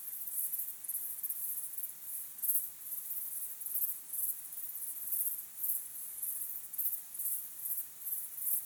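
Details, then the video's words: At sunset, crickets chirp in a high, continuous shimmering trill, pulsing in regular bursts roughly every half second across the whole stretch, with no other distinct sounds. "sunset sky with crickets chirping sound"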